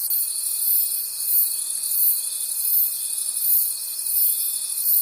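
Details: Night-time forest crickets forming a continuous high, shimmering chorus that swells and ebbs in regular pulses, over a constant thin tone.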